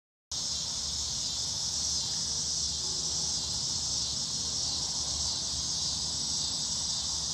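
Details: A loud, unbroken chorus of cicadas and crickets buzzing and creaking, a high, steady buzzing hiss, in Omaha, Nebraska, on August 10, 2016; the recordist was unsure which insects were calling.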